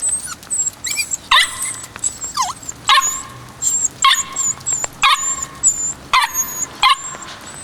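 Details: Kishu pup, white and male, aged 56 days, barks insistently: nine or so high, squeaky yaps repeating about once per second, with brief whimpering notes between them and faint high whistles in the background.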